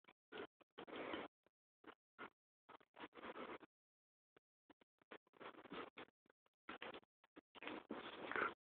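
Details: Two dogs, an Alaskan Malamute and a tiny Pomchi who are best friends, play roughly and trade broken growls and short grumbling vocal bursts.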